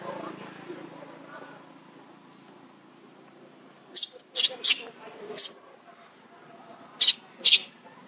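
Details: Baby monkey bitten by its unhappy mother; a quiet murmuring start gives way to five short, piercing high-pitched shrieks in quick bursts, then two more sharp squeals near the end.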